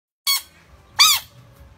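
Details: A small dog gives two short, high, squeaky yelps about 0.7 seconds apart, the second louder and arching; faint low rumbling indoors otherwise.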